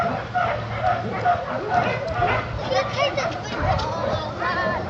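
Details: Dogs Cygan, Jenny and Majka at the Kundelek animal shelter in Poland; short yelping barks and whimpers repeat irregularly, overlapped by people talking nearby.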